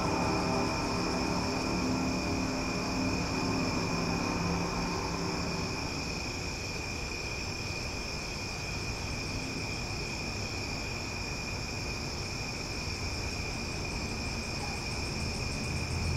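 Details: Cicadas singing loudly after dark in Omaha, a continuous shrill buzz held at an even level throughout. A low droning hum, like an engine or aircraft, sits beneath for the first six seconds.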